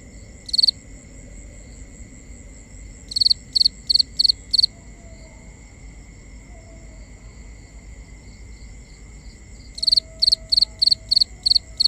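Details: Crickets at night in a binaural recording: a lone high chirp, then runs of five and six rapid, sharp chirps separated by long quiet stretches over a low hush.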